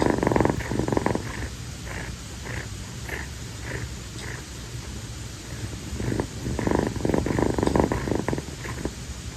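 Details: Kii, a rescued female calico kitten born around late April, purrs on her owner's feet on a hot tropical night after playing. The purring comes in rhythmic bursts separated by short quieter gaps, with a low continuous rumble underneath.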